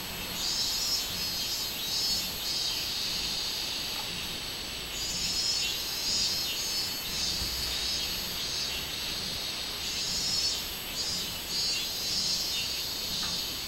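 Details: On 24 July 2016, robust cicadas drone: a continuous piercing buzz that surges and eases in long pulsing waves, with almost no other sound beyond a faint low hum.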